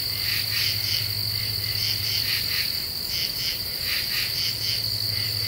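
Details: At night in an Eastern U.S. deciduous forest, Ozarks, under a half moon, common true katydids give scratchy rasping bursts in quick rhythmic groups of two or three, with a constant high-pitched drone and low rumble beneath.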